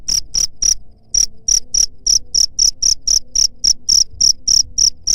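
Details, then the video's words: Repeated shrill cricket chirps, meant to drive off rats, come about three to four per second after a short pause near the start, with faint low background hum. "SUARA JANGKRIK PENGUSIR HAMA TIKUS"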